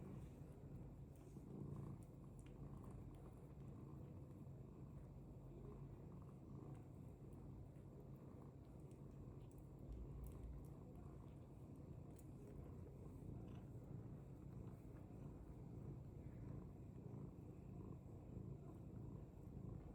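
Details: British Longhair cat purring: a steady, low, rumbling drone that runs unbroken for the full twenty seconds, with no meows or other clear sounds above it.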